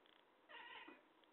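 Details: Talkative cat giving a single drawn-out meow, harmonic-rich and slightly falling, lasting under half a second and ending in a low murmur, with a faint high tone before it.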